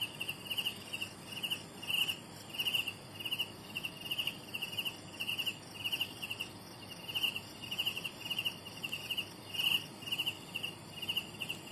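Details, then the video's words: Juvenile crickets keep up a regular run of high, pulsed chirps, several per second, bright and ringing above a soft steady hiss of distant insects. "Bunyi Anak Cengkerik"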